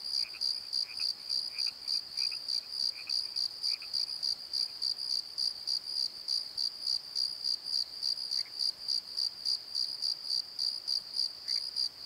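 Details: At night in a valley bottom, a cricket's high, shrill chirping repeats steadily at about three to four pulses per second, amid nighttime croaks.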